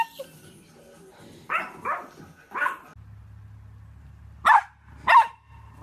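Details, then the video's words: Yorkshire Terrier barking: soft low sounds at the start, then three muffled barks close together, a pause over a steady low hum, and two sharper single barks near the end. "YORKIE AMAZING BARKING - Yorkshire Terrier Barking and Howling Compilation"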